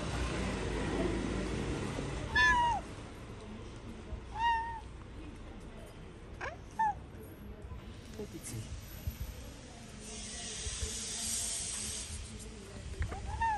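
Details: Tabby cat, a stray living on the street in Morocco, giving sweet meows: four short harmonic mews near 2.4, 4.5, 6.8 and 13 seconds, each rising then falling, over street background noise with faint human voices.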